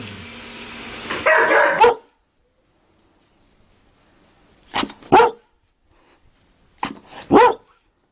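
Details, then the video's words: Dalmatian barking: a rough burst at the start, then a gap of near silence, then paired sharp barks near five seconds and again near seven seconds. "Dalmatian Barking Sound Effect. A Dalmatian In Real Life Barking Will Make You Smile"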